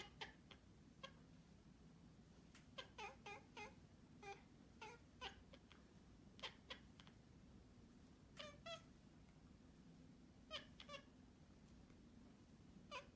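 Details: Domestic cat giving a series of short, bright meows indoors, some single and some in quick pairs or triplets, spaced irregularly across the stretch, over a low steady room hum.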